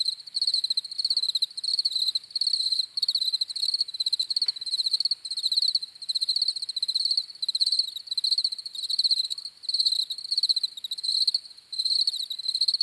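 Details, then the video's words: Crickets chirping steadily in relaxing night-style ambience, a high trilled pulsing in rapid bursts, each burst under a second and repeated continuously with brief gaps, no other clear sounds. "CRICKETS CHIRPING SOUNDS"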